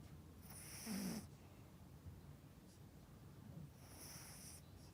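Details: Yorkshire Terrier named Melody, a pet dog kept at home, snoring while sleeping deeply; a soft, low rumbling snore swells near the one-second mark, then quieter breathing follows in a hushed room.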